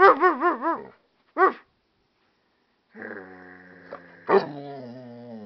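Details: American Staffordshire Terrier and pit bull mix named Wolf answers its owner with a quick run of wobbling, warbled yowls and one more short one. A long, flat, steady tone follows, broken by a sharp bark.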